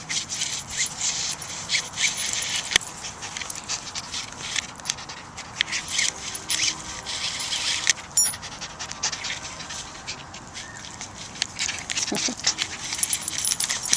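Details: Jack Russell Terrier named Dolly at play with a Babble Ball: steady hissing panting and sniffing bursts fill the stretch, broken by sharp taps and one brief faint whine toward the end.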